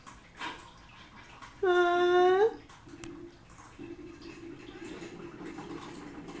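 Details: Hungry house cats waiting for their Saturday breakfast, one drawn-out, low, nasal meow that swells and lifts at its close, followed by soft faint murmuring and room noise indoors.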